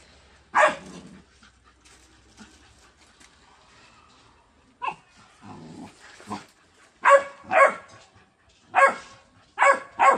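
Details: Indian pariah dog in a fight with another dog: sharp, harsh barks and yelps in short bursts, one at the start, then a ragged cluster after a lull, and a rapid volley of loud barks near the end.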